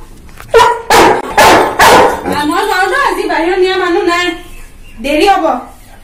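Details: A young Labrador Retriever, 11 months old, talking back to its owner: three loud, abrupt barks, then a long, wavering, moaning grumble that rises and falls, ending in another whiny howl-like note.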